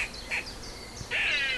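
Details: An eastern gray squirrel (Sciurus carolinensis) in a tree, wagging its tail and apparently alarmed by something, gives harsh, nasal, crow-like threat calls, warning off an intruder.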